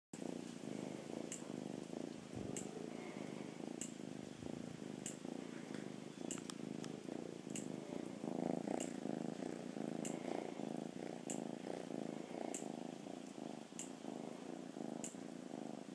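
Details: Happy rescued cat purring steadily indoors, a low rumbling drone pulsing in even breath cycles for the whole stretch, with faint sharp ticks recurring about every second and a half above it.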